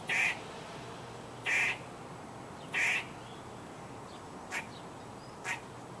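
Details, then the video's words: Squirrel calling, heard for the first time by the recorder: three loud, harsh, broadband barks about 1.3 seconds apart, then two softer short clicks, over faint steady background hiss. "Squirrel Making Noise"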